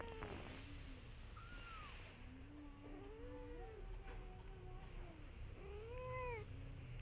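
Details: Mother cat calling to her kittens to follow her, the kittens ignoring her; several arched, tonal meows, some long and low, some higher and short, with a steady low hum underneath.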